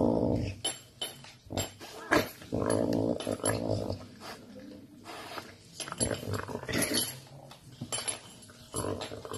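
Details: While eating meat, a caracal makes a series of short, rough growls broken by gaps, interspersed with wet chewing and tearing noises at close range indoors.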